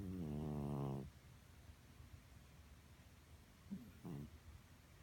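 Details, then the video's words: Betty, a senior pet cat who has snored loudly all her life without congestion, sleeps indoors; a loud, buzzy, rumbling snore lasts about a second, then a quieter, shorter snore follows after a pause. "Loudly Snoring Cat"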